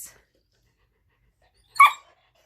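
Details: A 5-month-old female Rottweiler puppy gives one sharp, high, yelping bark in a brief tantrum, mad at her owner for painting a Labrador puppy statue.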